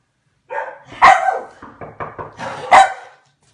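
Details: Hungarian Komondor, the dog that looks like a mop, barking indoors: a loud burst, a sharp bark, a quick string of short clipped barks, then another strong bark fading out.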